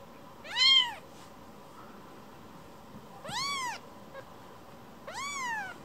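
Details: Rescued kitten coming back to be stroked after leaving its rescuer, uttering three rising-then-falling meows, the first loud and short, the later two softer and longer, in a quiet room.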